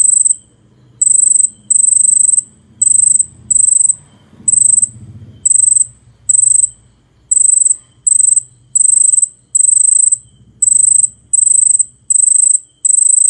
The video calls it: CICADA. ചീവീട്